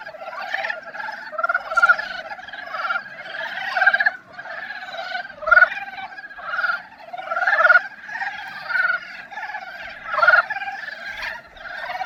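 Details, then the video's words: Dybowski's brown frogs giving their breeding-season love song: a dense chorus of low, rapid clucking croaks in overlapping bursts, swelling and fading every second or so, with several callers together. "큰산개구리의 사랑노래소리!"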